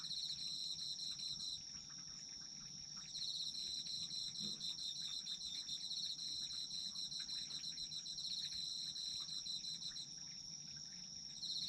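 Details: Autumn insects in a dense chorus: a steady high ringing tone near the top with a pulsed, rapidly trilling band just below, the pulsing pausing briefly and resuming, over faint low background rumble.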